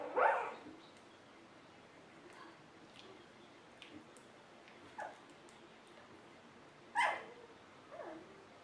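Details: Golden Retriever litter puppies on a puppy cam, a few separate short sharp yips and squeaks spaced over several seconds against a quiet background, the loudest at the start and near seven seconds.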